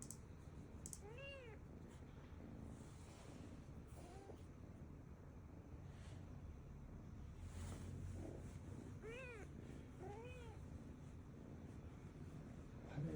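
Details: Tabby kitten, a Korean shorthair stray, newly entered a woodworking workshop where an older resident cat lives; several thin high mews, arching up and down, repeated every few seconds against low room rumble and occasional knocks.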